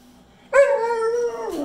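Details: Male Pit Bull begging for more chicken after hearing it was the last piece: one sustained, clear, tonal howl about a second long, steady in pitch and then dropping at the end, with his owner speaking around it.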